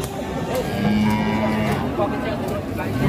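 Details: Fat cattle rampaging and collapsing at a market, panicking the people there; a low, steady moo held for about a second mid-clip, under a thick wash of crowd noise and background music.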